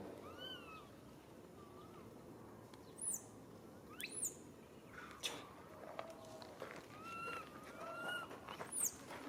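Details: Baby monkey calling its mother for help: repeated tonal, slightly wavering coos that rise and fall, like a plaintive meow, with sharp high squeaky sweeps in between over a steady background hiss.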